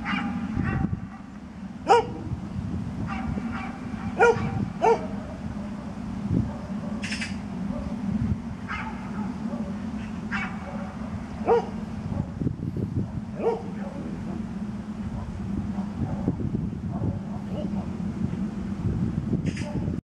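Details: Aged dog Misty in Birkenhead Park on 10 July 2013, giving brief barks at irregular intervals, some loud and some distant-sounding, over a constant low hum of outdoor background noise.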